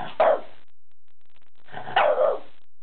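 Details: A French Bulldog, worked up at the sight of a new pull-up bar, gives two short, hoarse barks about a second and a half apart.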